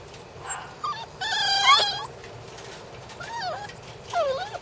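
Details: Border Collie puppies, a litter of siblings, giving several high, wavering whines and whimpers that bend up and down in pitch. A louder, harmonic-rich whine comes near the middle, and shorter looping whimpers follow over a quiet background.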